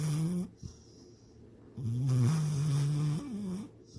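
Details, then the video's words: Dreaming of chasing a rabbit and swimming in the lake, Sydney the dog snores twice: a brief low rasp, a pause, then a longer wavering, nasal snore of nearly two seconds that trails off with a rising whine. "My SNORING DOG SYDNEY!"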